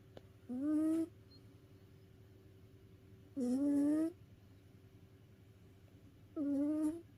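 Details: Sleeping house cat, worn out from playing, snores in three drawn-out whistly breaths that rise slightly in pitch. They come roughly every three seconds, with quiet hum between them.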